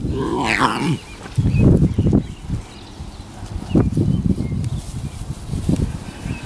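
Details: Lion cubs playing together, biting dry grass and playing with a serval kitten, give a rising squealing mew, then short, rough, low growls and grunts.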